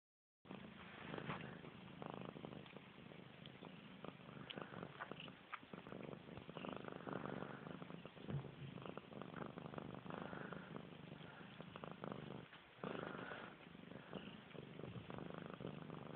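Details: Missy Grey, a pet cat, purrs indoors while washing her face: a steady low rumbling purr runs almost the whole time, with soft licking and rustling sounds over it and a brief dip near the thirteenth second.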